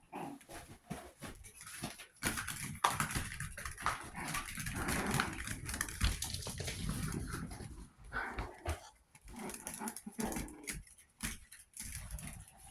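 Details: Chihuahua puppies aged 61 days making a long rough, grumbling stretch of noise mid-way, framed by short tonal whines and quick scrabbling taps.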